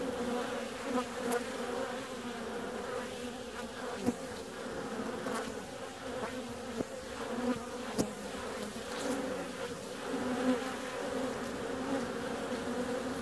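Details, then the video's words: Bees flying out on a warm February day make a constant droning buzz with bright overtones, fluctuating as individuals approach, broken by several sharp clicks and taps. "Bee's out on a warm February day."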